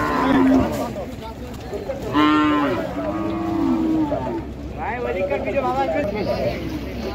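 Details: Cattle at a busy village cattle market, being unloaded from the river side: several low, drawn-out moos, some short and some sustained and wavering, over a steady murmur of voices and outdoor crowd noise.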